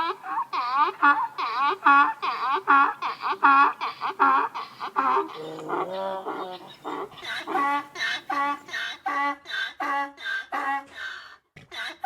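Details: A donkey (Equus asinus) brays in a long run of harsh, rhythmic see-sawing notes that shift between high and low.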